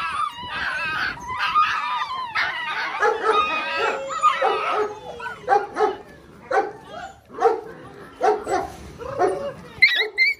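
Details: Excited six-week-old Belgian Malinois puppies of the Lorockmor Mensa x Pixel litter trade high wavering whines and clipped yaps, the noise thinning toward rhythmic single barks near the end.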